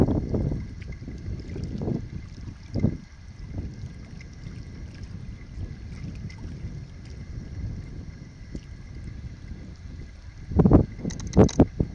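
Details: Low wind rumble and boat or water noise under a steady mechanical hum, with a few sharp knocks near the end and no animal calls.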